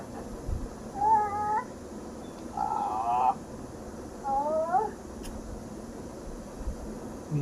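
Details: Cat held by a small child like a teddy bear gives three short meows, each rising then falling, spaced about one and a half seconds apart, with faint household voices and a steady background hum.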